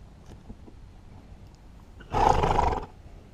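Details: . A Haflinger mare, unhappy at a new grazing muzzle that stops her from getting long hay, lets out one harsh, loud, broadband squeal lasting under a second after a quiet stretch. A woman speaks softly before and after.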